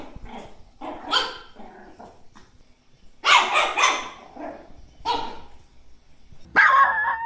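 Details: Chihuahua barking in an angry, happy or crying mood; rough, growly barks in irregular clusters, with a louder harsh burst in the middle and a sharp yap near the end.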